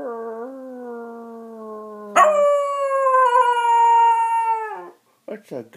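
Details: Oliver the Dachshund sings in a sustained, clear howl held for nearly three seconds, steady then gently falling, after a lower steady tone, followed by a few short yelps.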